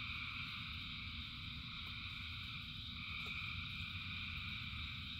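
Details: Countless frogs singing in rain produce a constant buzzing, trilling drone in several high layers, with faint short clicks and an unbroken low rumble of rainfall beneath.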